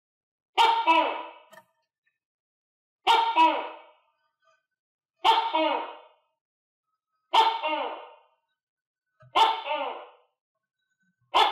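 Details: A captive tokay gecko, clumsily eating crickets while housed with other geckos, gives loud, harsh, barking calls, each about a second long, repeated every two seconds.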